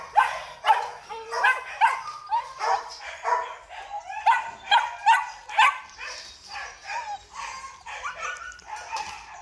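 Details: Male Belgian Malinois at a kennel barking about twice a second, loud sharp barks early fading to softer, hoarser ones toward the end, some yelping tone mixed in.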